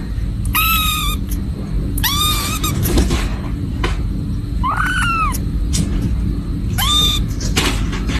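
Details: Cat crying: short, arched, high meows with rich overtones, one every second or two, over a steady low outdoor rumble.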